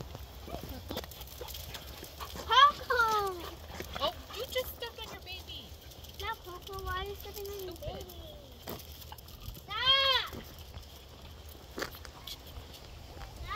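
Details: Jack Russell Terrier puppies, out in the cold, recorded March 18, 2024. High, arching whines and yelps come in short bursts, with a loud cluster early on and another near the end. A person talks nearby.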